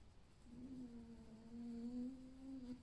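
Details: Alf, a pet fox kept indoors, lying and creaking after a lively night, not unwell, sleepy and possibly wanting to sleep: a steady, slightly wavering tonal whine held for over two seconds with a faint overtone, in a quiet room.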